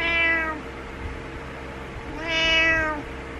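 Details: Butters the pet cat meowing to rouse its owner in the morning: two loud, bright meows, the first fading after half a second, the second swelling and falling about two seconds later, with faint indoor hum.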